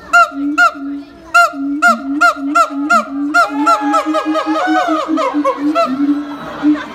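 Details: A siamang at Higashiyama Zoo and Botanical Gardens calls loudly. Honking barks repeat about twice a second, then swell into a dense run of overlapping rising whoops and barks.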